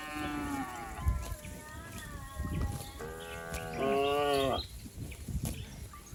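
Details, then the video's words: Herd of cattle and bulls bounding downhill across green village pasture, giving higher-pitched lowing calls, the clearest a rich harmonic moo in the middle of the stretch, amid trampling and field noise. "suara asli sapi"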